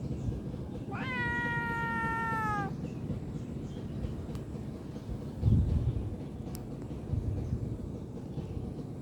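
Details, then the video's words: Cute kitten at play, giving one drawn-out, slightly falling meow of about two seconds with rich harmonics, followed by quiet with low background rumble and a couple of faint clicks. "Bermain bersama Kucing imut"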